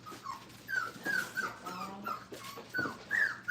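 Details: Five-week-old Brittany puppies being introduced to a crate indoors during crate training; short high whines and whimpers rising and falling, several in a row, with a woman talking softly and soothing them nearby.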